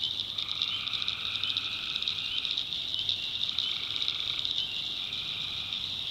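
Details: Tree frogs calling at night in the swamp backwoods of North Carolina: a steady shrill chorus drone carries throughout, overlaid by two lower, even trilled calls, one lasting about two seconds and a shorter one near the four-second mark.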